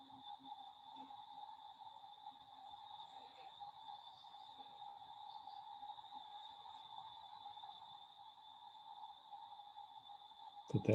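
Crickets fill the background with a continuous, unvarying high-pitched trill that never pauses. A softer, lower steady tone runs alongside it, and faint low murmurs come and go underneath.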